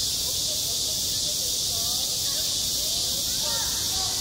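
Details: Summer cicada chorus over a school playground, an unbroken high shrill drone at even loudness, with faint chirps and murmurs in the background.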